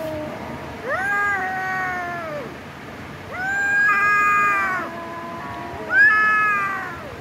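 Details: Domestic cats fighting, three long wailing yowls spaced about two seconds apart, each rising sharply then holding a steady tone before falling off, one voice overlapping another in the middle.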